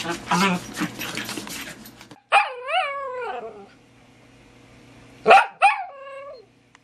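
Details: After a burst of human voices, dachshunds in a box give a long, wavering whine that drops in pitch, then a sharp yelp and a shorter falling whine in near silence.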